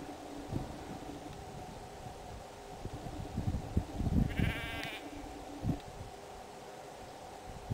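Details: Spring lamb at White Clover Sheep Farm in Rushville, upstate New York: one brief harmonic bleat about half a second long near the middle, over steady low rumbling farm noise and scattered knocks.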